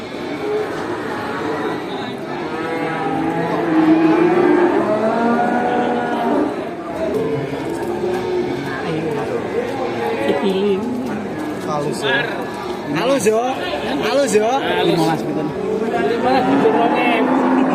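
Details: Many cows herded home to the barn in a rural village call to each other; a dense chorus of overlapping bellowing moos with bending pitch, plus scattered knocks and clatter.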